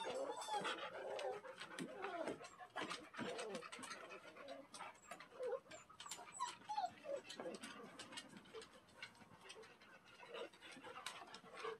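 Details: Young male Standard Poodle puppies, freshly bathed and outside for the first time, give high whines and squeaks mixed with panting while a person talks nearby.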